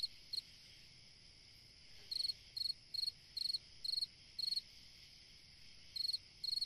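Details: On a summer night a cricket gives a lone chirp, falls silent for over a second, then resumes with evenly spaced high pulsed chirps about twice a second, another short gap, and two more chirps.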